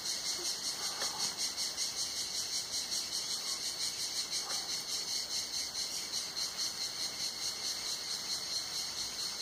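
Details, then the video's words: Cicadas singing on a hot summer day at Tenuta Zimarino, heard from beneath a mulberry pergola: a dense, high, shimmering buzz pulsing steadily about two to three times per second, with a few faint chirps from other creatures. "il canto delle cicale"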